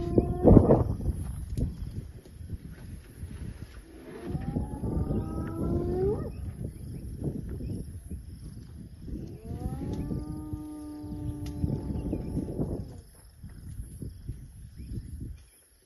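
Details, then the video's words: Calling hyenas heard while elephants are watched: two sustained, harmonic calls with upturned ends rise out of heavy low rumbling and thumping noise, with a brief loud burst at the start. "hyenas callings"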